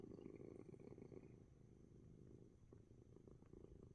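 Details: Coco, a house cat purring heavily while relaxing despite being sick with sneezes; a close, continuous low pulsing rumble, rapid and steady.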